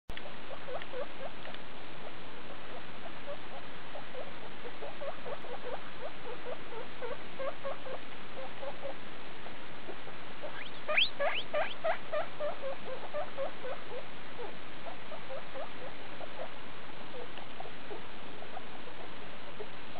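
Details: Skinny guinea pig Daisy with her babies from a litter born 2 August 2012, recorded 19 August 2012 at CHS Luna; steady stream of short, soft squeaks throughout, a louder cluster of bright chirps near the middle.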